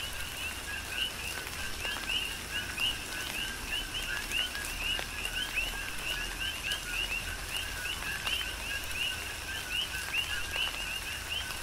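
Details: Many coqui frogs on Hawaii's Big Island keep up a rhythmic chorus during tropical rain, their brief upward-sweeping chirps overlapping continuously while steady rainfall hisses underneath and occasional drops tap sharply.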